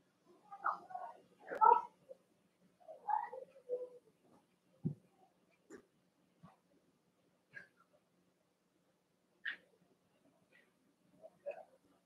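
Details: Overnight whimpering from three Cavalier King Charles Spaniel puppies, Cooper, Conner and Jenny, born 06/09/2022: a few mewing, wavering whines in the first four seconds, followed by sparse faint squeaks and thumps.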